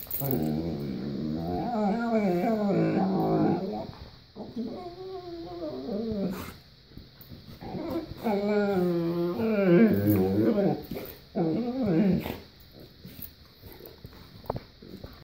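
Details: Dog in a bedroom making long wavering, warbling howls that rise and fall like whale song, in drawn-out phrases of about two to four seconds separated by short pauses.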